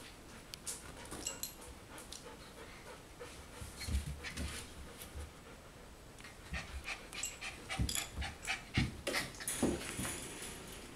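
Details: Quick breathy panting from golden retriever puppies at four weeks old, short hissing puffs roughly three per second that grow louder and more clustered toward the end, mixed with faint low bumps.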